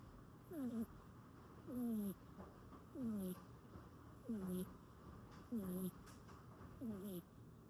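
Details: A cat snores while sleeping stuck to its owner: a squeaky, falling whine about every 1.3 seconds, each paired with a soft hissy breath. The steady rhythm repeats six times.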